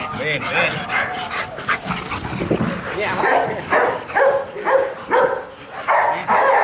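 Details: Rottweiler Marvin, Vietnam champion of September 2018, at the Gervi Kennel in Vietnam on an ordinary afternoon, being shown and posed; deep, rough barks come in uneven bursts between human voices talking close by.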